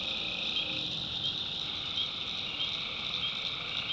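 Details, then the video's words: Tree frogs at night in North Carolina's backwoods. A thick, high, shimmering trill fills the whole stretch, with a steady lower hum beneath it and no pauses. "Relaxing Swamp Sounds at Night - Frog Heaven"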